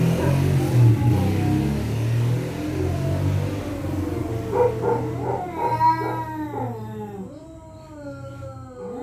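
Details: Territorial cats at night in Thailand threatening each other: after a rough, noisy start, a drawn-out wavering yowl rises and falls in harmonic-rich waves, with low rumbling background throughout.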